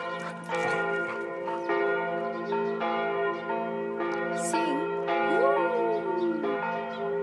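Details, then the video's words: George the Border Collie in Tiergarten, Berlin, joins the ringing church bells with a wolf-like howl, his first time doing so. One drawn-out howl swells upward and then slides slowly down beneath dense, continuous bell peals. "Border Collie sings with the church"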